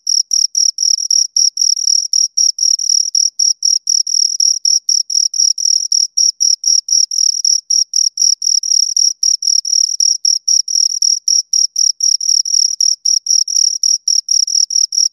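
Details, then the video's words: Two crickets chirping near the microphone in a fast, dense stream of shrill pulses, about four per second, with the two voices overlapping so the gaps between chirps are short and uneven, over quiet surroundings. "Two Crickets Chirp Sounds"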